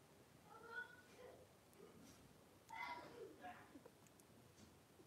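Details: Five 3-week-old blenheim Cavalier King Charles Spaniel puppies, two girls and three boys born at New Year's, wrestling and playing in an indoor puppy pen. Two short whiny yelps with bright harmonics, the second sliding downward, over faint rustling.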